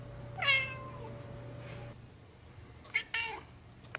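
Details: Sassy, a pet cat, gives a short rising-then-falling meow, then a second briefer meow after a quiet gap, over a low steady hum and a faint click.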